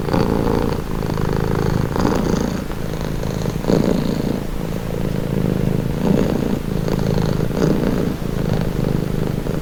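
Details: Pet cat purring for relaxation, a throaty low-pitched rumble that pulses with each breath, growing slightly stronger at intervals and running without pause for the whole stretch.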